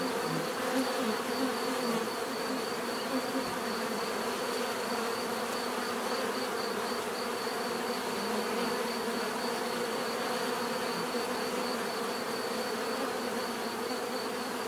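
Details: Natural bee buzzing forms an even, thick hum with scattered brief louder passes of single insects near the start, steady for the whole stretch.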